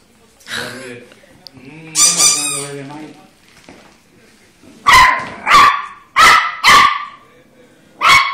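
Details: Volpino Italiano puppy named Fiocco, two months old, indoors; a few soft whines and speech-like sounds, then a burst of four sharp high yapping barks and one more, with a person talking in Italian around it.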